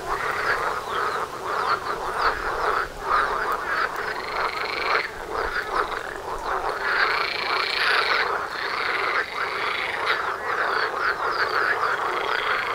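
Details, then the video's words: Frog concert outside a front door, linked to mating; many overlapping rattling croaks with long drawn-out harmonic calls, the chorus briefly thinning near five and nine seconds before resuming. "Froschkonzert vor der Haustüre"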